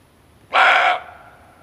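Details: Male barking deer, a sound used as a lure for hunting: a single abrupt, rasping bark lasting under half a second, fading quickly into quiet.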